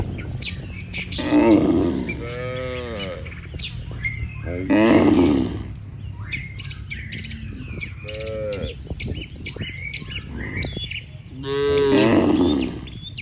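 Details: Cattle crossing a river as a migrating herd looking for fresh pasture give several drawn-out, droning moos spaced a few seconds apart, while small birds chirp and whistle steadily in the background.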